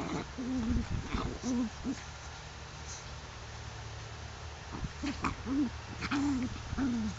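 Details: Tibetan Spaniel bitches in heat, five of them at a kennel, whining in low, wavering moans. The short tones bend up and down and come in irregular bursts separated by quiet pauses, over a steady low hum.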